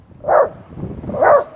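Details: A Shih Tzu gives two sharp, high barks about a second apart at a deer decoy it seems to take for another dog.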